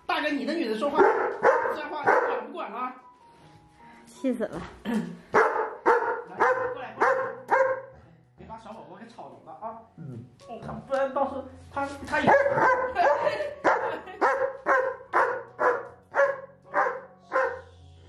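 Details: German Shepherd kept as a pet complaining at length after being told it was mealtime without getting food; long runs of quick, rough barks and grumbles, tightly spaced near the end, mixed with a woman's voice and soft background music.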